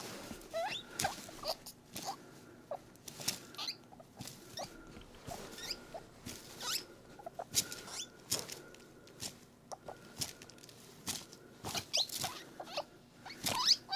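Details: Happy pet guinea pig drinking milk while being squeezed: steady irregular clicking and lapping patter throughout, with faint short rising chirps mixed in.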